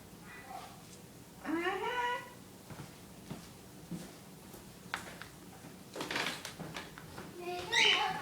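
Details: Scottish Terrier making weird barks: a drawn-out, tonal, upward-sliding yowl early on, faint clicks and snuffles in between, then a second short high-pitched squealing bark at the end, with a person's soft talking in the background.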